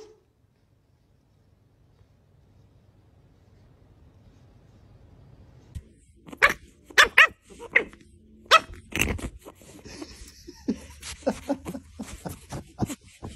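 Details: Barking Pug: after several seconds of near silence, a burst of sharp, irregular barks and short gruff yaps, loud and clipped, followed by softer scattered barks.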